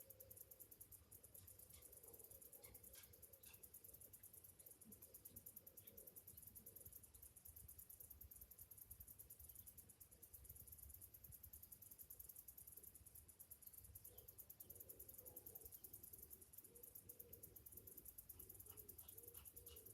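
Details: Summer cicadas singing in the morning: a thin, very high pulsed buzz that runs steadily throughout, with a low rumbling hum underneath and a few faint scattered chirps.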